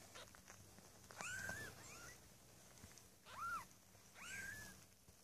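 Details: Young Maine Coon kittens in a cattery litter of six, born 8 May 2015, cry out with three arched, reedy mews spread over five seconds over a soft background hum.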